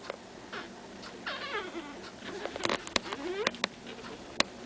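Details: Pekingese puppies, two litters both three weeks old, from a kennel in Tallinn, Estonia; high, wavering whimpers and squeals with rising and falling tones, several short cries overlapping, broken by sharp clicks and knocks indoors.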